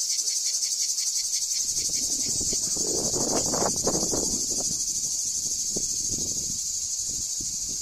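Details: Summer chorus of cicadas at the archaeological site of Ancient Corinth in Greece: a continuous shrill, pulsing buzz held steady throughout, with low rustling and handling noises beneath it in the middle.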